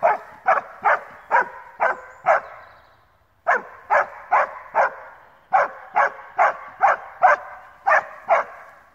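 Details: Alpine Dachsbracke, a male hunting dog, barking at wild boar in his first meeting with boar: rapid, sharp barks in bursts of four to six, roughly two per second, with short gaps between bursts and a slight echo.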